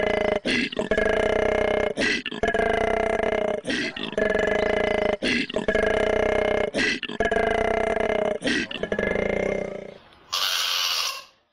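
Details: Giant panda calling: loud, drawn-out, tonal bleating cries with rich harmonics, each lasting over a second, repeated about five times with short gaps, followed by a brief burst of hiss.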